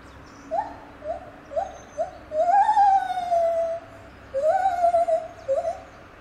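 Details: Singing lar gibbon, Safaripark Beekse Bergen, 9 July 2021: short upward-sliding hoots build into long loud notes that rise and then fall away, followed by a final quick whoop.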